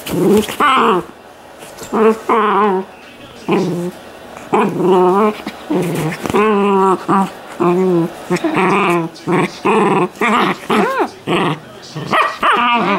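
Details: Shetland Sheepdog puppy named JJ, from a litter by an AKC champion sire in Colorado, USA, indoors: a rapid series of wavering, moaning whines and short growly yelps, pitch bending up and down, with brief gaps between bursts.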